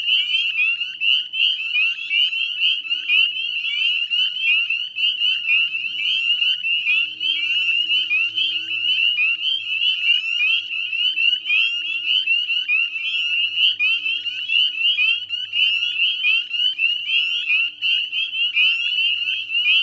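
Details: At dusk on 18 May 2020 in West Chezzetcook, Nova Scotia, northern spring peepers fill the salt marsh wetland with a steady shrill chorus of short rising whistles, densely overlapping and unchanging throughout, a soft low hum underneath.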